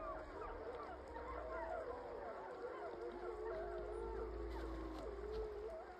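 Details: The 15-member Wapiti gray wolf pack in Yellowstone gives a minute-long victory howl the morning after killing and eating a large male bison, long wavering tones overlapping and sliding up and down.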